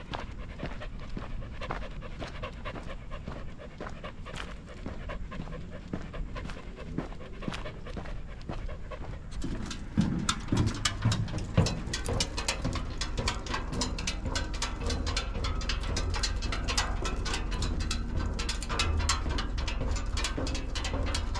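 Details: Standard Schnauzer named Atticus, a four and a half year old male trained off-leash, panting: rapid breathy bursts about twice a second, quieter at first, then louder and denser after midway, with low rumbling background noise.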